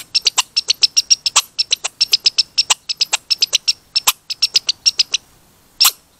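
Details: Squeaky red squirrel in a lively display compared to beatboxing, giving quick runs of high-pitched squeaky notes with crisp clicks, several short breaks, then a silent gap before one last loud squeak.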